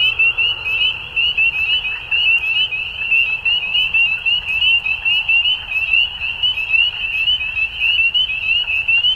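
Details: At dusk, numerous frogs keep up a constant, bright trilling chorus, the rapid notes rising and falling in loudness every second or so without pause.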